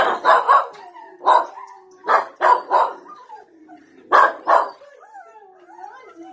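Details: Miniature American Shepherds at home barking while watching videos of their siblings and parents on a screen; short broad barks in pairs and singles, about seven in all, with quieter whining tones and a voice in between.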